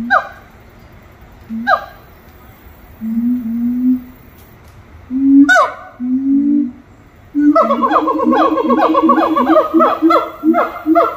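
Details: At Little Rock Zoo, monkeys give spaced single swooping calls and low drawn hoots, then break into a long, fast run of rapid repeated whoops, several notes per second.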